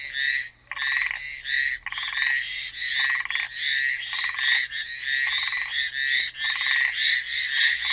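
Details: Frogs on Amami Island, Japan, Ornate Narrow-Mouthed Frog or Hallowell's Tree Frog: dense overlapping chorus of raspy, buzzy pulsed calls, several callers blending into a near-continuous trilling wall with brief rhythmic gaps.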